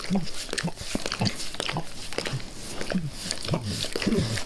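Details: Dog named Max enthusiastically licking a person's face; moist tongue smacks and short slurping pulses come quickly one after another, with low thudding contact sounds.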